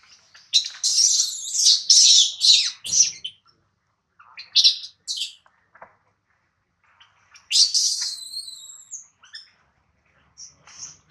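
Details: Baby monkey Adler, hungry and missing his mother, cries in a small monkey's hands: a long harsh shrill screaming bout, short squeaks, then another wavering high wail after a pause.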